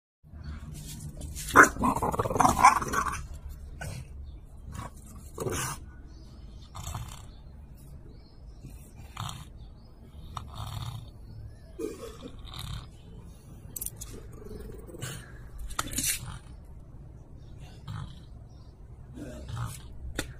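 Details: French Bulldog playing and fighting over a toy, giving scattered rough growls and grunts, with a louder burst of snarling early on amid scuffling and knocking sounds indoors.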